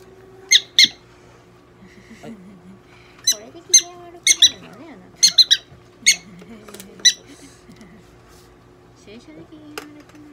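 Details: Donguri-chan, a pet prairie dog under veterinary treatment at a Nagoya clinic, gives short, sharp squeaky chirps in scattered bursts of two or three, while a person speaks softly and a steady low hum fills the room.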